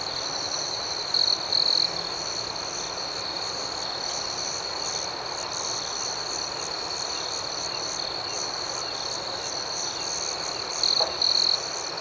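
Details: Crickets at night, a steady high-pitched chirping chorus that runs without a break. Two louder, closer bursts of double chirps rise above it near the start and near the end. No other sounds stand out.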